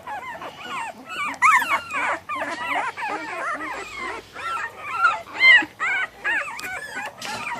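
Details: Litter of American Bully puppies from ABKC champion bloodlines crying together while being sexed; dense chorus of high, wavering whimpers and yelps, loud bursts around the middle, with a few human voices.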